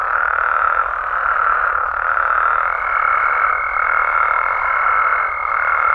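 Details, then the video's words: Mexican amphibians in full nighttime voice, an even, dense croaking chorus at mid pitch, joined partway through by a thin, level high-pitched tone that holds to the end. "Mexican Frogs & Toads Sounds"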